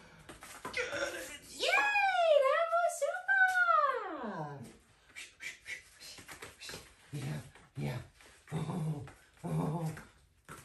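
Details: Female whippet during drive games with a toy, giving a long wavering high whine that slides up and down for about three seconds, followed by a woman's excited praise and short spoken phrases.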